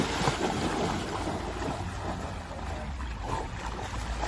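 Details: Continuous rushing wind buffeting the microphone over splashing, flowing water, with no animal calls audible.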